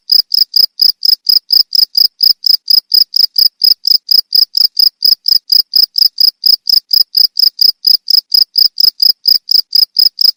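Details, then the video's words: Bird-training recording of a cricket: bright, piercing chirps in a regular train, about two each second, clear and loud with a quiet background. "Suara jangkrik untuk masteran burung"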